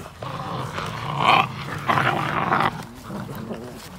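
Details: Belgian Malinois puppies aged fifty days fight over one toy, the struggle waking wild instincts; harsh, grinding growls in two loud bursts, then quieter rumbling beneath the scuffle.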